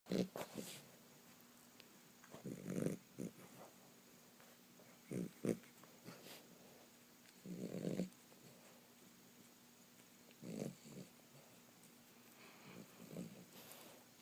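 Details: A dog snoring in a small room: low, rasping breaths come in bursts about every two to three seconds, each a rough rumble followed by a quiet pause, over a faint steady background hum.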